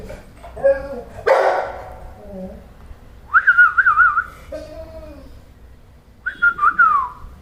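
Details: Tied-up dog voicing its annoyance with a funny noise: a mix of low moans and high, warbling yodel-like whines in wavering phrases, with a sharp bump near the start.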